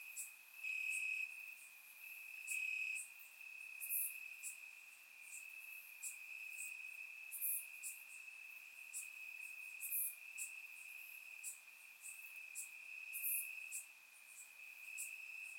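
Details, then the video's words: Night chorus of crickets in Bulgarian grass on a warm summer evening, a continuous high-pitched ringing trill overlaid by scattered sharper chirp bursts every few seconds, surround-microphone recording. "Cricket Sounds - Crickets Chirping at Night"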